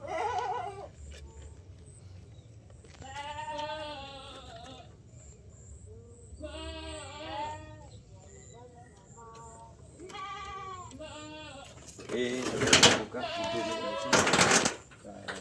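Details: Several farmed goats in their shed bleat as the main door is opened. Wavering, quavering bleats come in bursts of one to two seconds, about five calls spread over the stretch, the last ones louder and harsher.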